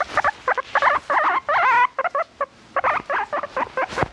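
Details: A pet guinea pig vocalising at length, giving a rapid run of short, squeaky chirps and warbling whistles, several per second, with one longer wavering squeal in the middle and a brief pause before the chatter resumes.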